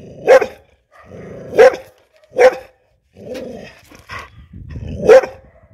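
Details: An angry mixed-breed bull terrier barks sharply and deeply about once a second, with low growls between; bull terrier.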